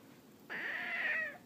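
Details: House cat protesting at being told to go upstairs, talking back; one long, steady, nasal meow lasting nearly a second in a quiet room.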